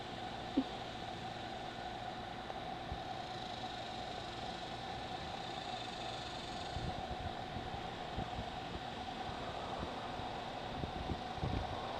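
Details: A steady mechanical rumble and hum, like a fan or a passing vehicle, runs throughout with faint crackles and no animal voice.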